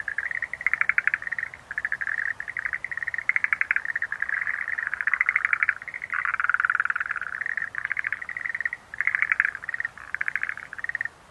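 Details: Continuous chorus of Schlegel's green tree frogs, many pulsed rattling calls overlapping into a nearly unbroken stream, with brief louder bursts of rapid clicks rising above the steady mass of sound.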